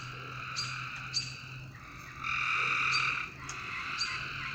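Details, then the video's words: Frogs calling at night: a steady buzzy, harmonic drone swells into a louder stretch lasting about a second, with sharp ticking clicks on top and a faint low hum underneath. "A Strange Night Sound? And Frogs!"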